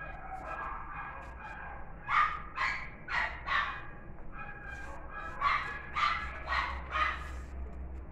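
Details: A female West Highland White Terrier with a pink ribbon barks in two quick runs of four sharp, high yapping barks, about two per second, separated by a short pause, with a low steady hum behind.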